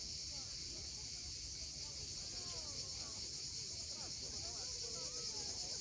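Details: Cicadas calling at sunset on the steep coast of Cape Fiolent, Crimea: a dense, unbroken high hiss-like buzz that holds steady throughout, with faint chirping bird notes in the background.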